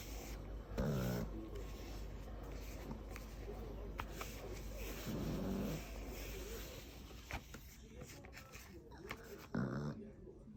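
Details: Sleeping pug and toy poodle mix dog, flat-nosed, snoring indoors: three short rasping, buzzy snores roughly four to five seconds apart, with soft rustling between breaths.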